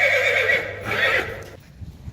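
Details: Friesian horse colt whinnying in a herd, a rough, harmonic neigh lasting about one and a half seconds that fades out, followed by quiet background.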